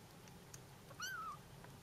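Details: A single Bengal kitten cry, part of kittens calling their absent mother: one short, clear, tonal meow that rises slightly then slowly falls, over faint background hiss.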